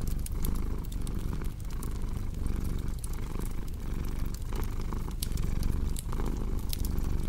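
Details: Domestic cat purring steadily, low rumbling cycles swelling and fading roughly once a second, overlaid by sharp crackling pops from a fireplace.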